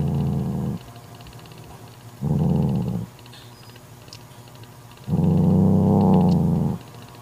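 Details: A mother domestic cat angrily growls to banish her jealous sister from her newborn kitten: three low, rough, rumbling growls, the last and longest nearly two seconds, separated by quiet pauses with faint clicks.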